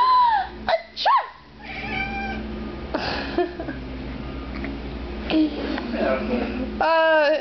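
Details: A domestic cat wails in reaction to its owner's sneeze. A drawn-out descending cry opens, another sits under the talking, and a rising harmonic meow comes at the end. A woman speaks throughout, with one sneeze.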